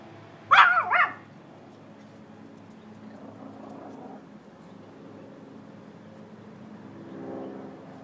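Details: Bailey, a pet dog guarding the yard, gives one loud harmonic bark with a quick double break near the start, then quiet background with faint low rumbling sounds.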